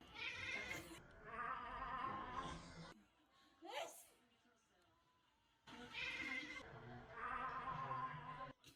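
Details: A house cat that dislikes its grandmother's sneezes gives a brief wavering meow between two long stretches of loud, harsh sneezing and talking indoors.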